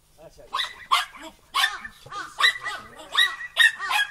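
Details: Young Border Collies, two females and a male, aged four and a half months, playing in snowfall. Loud, rapid, high-pitched barking comes in uneven volleys about twice a second, with a few lower whimpers between.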